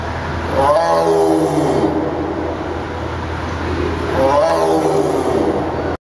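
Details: Captive tiger at Lincoln Park Zoo in Chicago gives two loud, deep roars, each lasting over a second with falling harmonic tones and a rough growling tail, separated by a short pause; steady low hum underneath.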